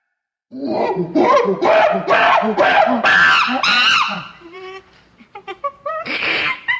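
A chimpanzee gives a run of loud, harsh, shrieking screams, each burst rising and breaking.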